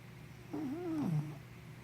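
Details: A single drawn-out snore from sleepy puppy Henna: a low, wavering nasal tone that rises slightly, then drops into a brief rough rattle, with a faint steady hum behind.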